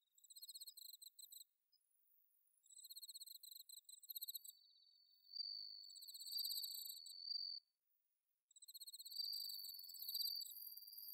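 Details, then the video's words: Autumn night insect song with bell crickets from Inba-numa rice paddies in Chiba, Japan: separate bursts of high pulsed chirps split by gaps, a sustained ringing trill in the middle, and a dense chorus closing. "秋の虫の鳴き声 スズムシ コオロギの鳴き声 秋の夜長"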